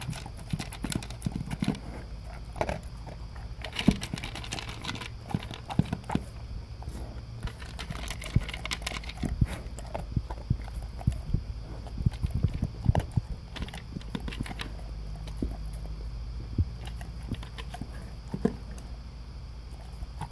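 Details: English cream golden retriever eating dry food for breakfast from a blue slow-feeder bowl with concentric circles; steady crunching and chewing with irregular sharp clicks of kibble, low thumps, no vocal sounds.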